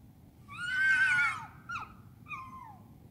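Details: A fox screaming at night in London, England: one long, strained, harmonic scream lasting nearly a second, then two brief, falling, raspy cries, with faint steady low background noise.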